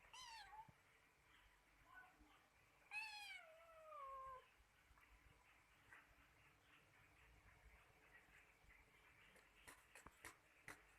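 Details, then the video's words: Kittens fighting: a few thin, high, falling meows and squeals in the first four seconds, then quieter rustling and faint clicks against a soft background hiss. "baby cat fight"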